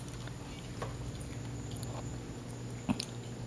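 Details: Quiet indoor room tone with a steady low hum and a few faint clicks and soft chewing-like taps; no animal calls.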